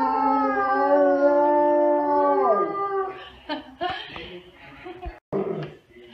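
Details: Siberian Husky howling along with its owner: a steady, level drawn-out tone for about two and a half seconds, then breaking off into rougher, broken sounds and short noisy bursts.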